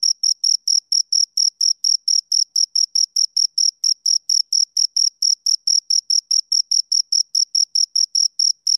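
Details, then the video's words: Crickets, two of them, chirping in a regular pulse: crisp, very high chirps spaced slightly apart, roughly four a second, continuing throughout without pause or other sounds. "Two Crickets Chirp Sounds"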